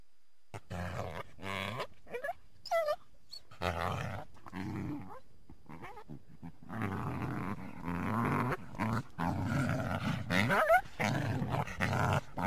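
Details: A coyote calls from the trees toward a backyard on a winter day, giving low, rough growls broken by short, rising yelps and whines.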